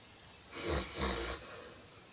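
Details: A sleeping Rottweiler snores, giving two breathy, rasping pulls of air in quick succession.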